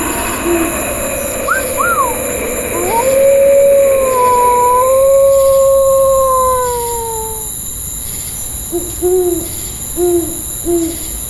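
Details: At night, a gray wolf gives one long, steady, mid-pitched howl that wavers slightly and falls away at the end, with short owl hoots before and after over a constant high insect hiss.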